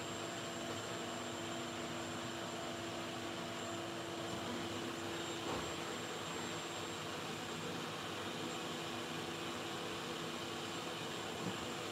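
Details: Steady broadband roar like a fan or vacuum cleaner, with a constant faint hum and high whine throughout.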